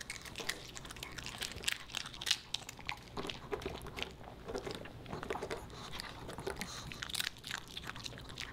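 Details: A Pomeranian puppy named Boba Bear eats dog-friendly fish and chips, producing dense, rapid crunching and sharp biting clicks, with steady chewing throughout and a quiet indoor background.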